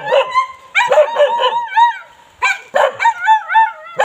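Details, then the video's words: Bali dog barking in short clustered bursts, each bark breaking into yelping, wavering whine-like tones that rise and fall, with a pause of about a second midway before a second run of barks. "bali dog, barking"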